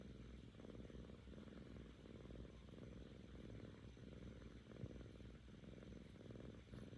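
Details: Seven-month-old female Korean shorthair kitten purring because she is happy with her owner, after recovering from ear mites; a steady low rumbling purr in long pulsed stretches, swelling and easing with each breath, close to the microphone.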